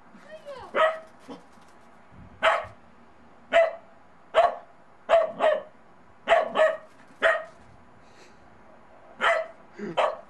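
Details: Bedlington Terrier puppy in snow for the first time, wary of a small snowman, barking in irregular single and paired yaps spread across the recording, with faint voices between barks.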